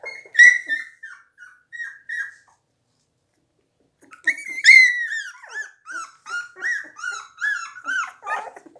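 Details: Seventeen-day-old blue Pit Bull puppies give high, drawn-out whines that slide downward, a short run of cries, a silent gap of about two seconds, then a longer stream of wavering, overlapping squeals.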